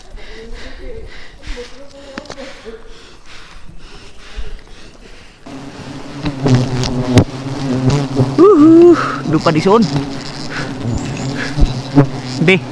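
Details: Honey bees during the removal of seven bee nests: a steady low droning buzz with layered humming overtones, swelling louder and denser after about five seconds, while a person's voice briefly rises over the swarm.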